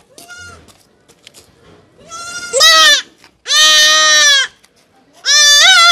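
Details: Goat kid bleating while being castrated. Three loud, nasal, strongly harmonic bleats, each about half a second to a second long, rise and hold, with softer handling noises and faint voices in between.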